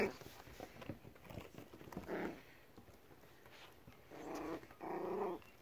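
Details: Five-week-old Pomsky puppies indoors in a small room: short low growling and grumbling bursts from the litter, the loudest near two seconds and again twice past four seconds, with soft rustling and a voice calling the puppies.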